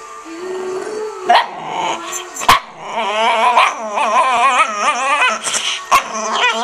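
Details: A female dog vocalizing in a varied, wavering series of whines and yelps, pitch sliding up and down, broken by a few sharp clicks or knocks.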